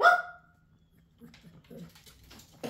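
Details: A Pekingese indoors gives one sharp, loud, tonal bark right at the start that fades quickly, followed by near silence with faint soft rustles and muffled sounds.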